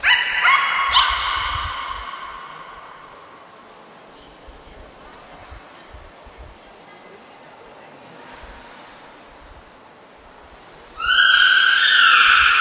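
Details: Training session with Niko, a beluga at Port of Nagoya Public Aquarium, 25 February 2024: two quick, bright squeals open, then a long quiet gap with a short high whistle, and finally a loud, rising, harmonic squeal that holds to the end.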